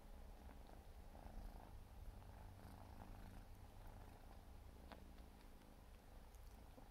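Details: Steady low purr from a 4-month-old Siberian forest cat kitten as it grooms itself, the deep rumble unbroken, with faint licking clicks and a brief soft tick near the end.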